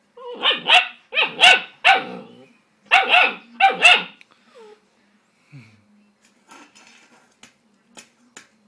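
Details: A 10-week-old Greater Swiss Mountain Dog puppy, upset at feeding time by his own reflection in the bowl, gives four pairs of deep, harsh barks over four seconds, then falls quiet apart from faint clicks and small sounds.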